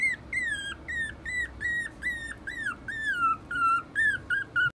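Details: A teacup Poodle x Maltese mix puppy gives a run of high, thin whines, each bending up then down, about three per second.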